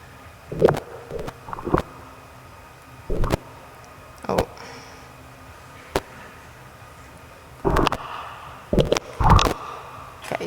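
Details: Sperm whale clicks picked up by a hydrophone off a boat, audible from far away: sharp, broadband knocks arriving singly and in short, irregular, Morse-code-like bursts as the whales click at each other, faintly reverberant.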